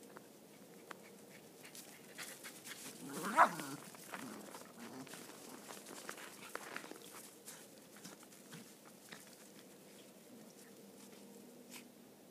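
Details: Cairn Terriers at play, including a mother and her son, make rough, growly, throaty play noises with one sharp yelp, over a low background hum; one dog's noisy play style sounds aggressive.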